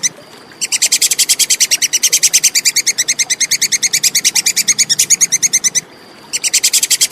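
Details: Plantain squirrel (tupai kekes), recorded clearly as tutor material for competition songbirds: a long, steady burst of sharp, high, dry chips, about seven per second, stops briefly near the end, then resumes.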